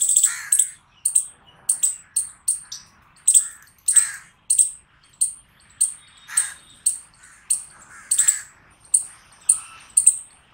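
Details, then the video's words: Chirping chipmunk giving a long even series of shrill, clipped chips at roughly half-second intervals, some notes doubled, with a faint rasp beneath each. "Cute Chipmunk Chirping Sounds"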